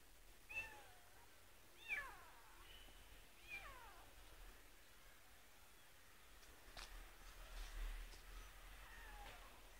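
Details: A cat makes several short, downward-sliding meows in the first few seconds, then goes quiet, leaving only faint rustling and soft background noise.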